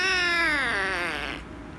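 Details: Angry rescue kitten meowing loudly while being petted: one long, strained, harmonic-rich meow held nearly two seconds, starting high and slowly sagging in pitch as it fades, with a slight wavering quality toward the end.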